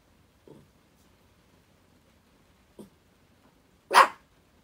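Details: A pet dog during spring break, seemingly threatening a curtain indoors: two faint short sounds, then one sharp, loud, sudden bark near the end in a quiet room.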